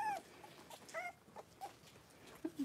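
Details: Three-week-old blenheim Cavalier King Charles Spaniel puppies, a litter of five born at New Year, wrestling and playing in a puppy pen; a few thin whining squeaks, one falling and one arched, among soft scuffles and quiet gaps.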